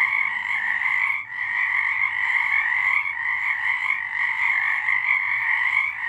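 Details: A March 2023 nighttime frog chorus, steady buzzing croaks from many callers merging into a continuous trill, with one short dip just after the first second.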